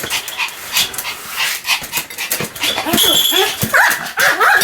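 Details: Pomeranian dog barking continuously: rapid sharp yaps packed close together with no clear gaps, some rising squeaky whine-like tones mixed in toward the end, over a noisy indoor background.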